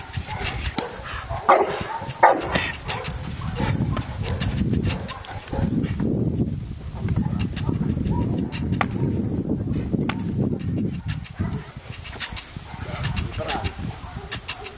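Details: Aaron, a 14-month-old Cane Corso, barks during IPO training at Cascina Crimea, Cavagliano (Novara), Italy. Loud, rough barks come in irregular bursts over a steady low rumble, with some human voices in the background.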